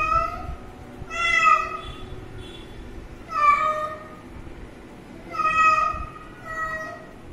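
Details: Three clear meows from a kitten seen drinking water, each a short bright cry with a falling tail, separated by pauses of about two seconds in a quiet room.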